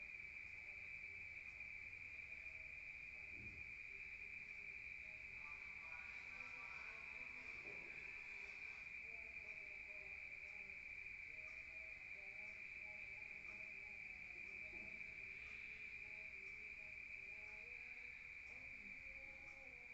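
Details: Countryside crickets chirping at night, heard indoors from outside: an unbroken high, piercing trill runs the full length, with a short burst of louder mixed background sound midway and faint low tones.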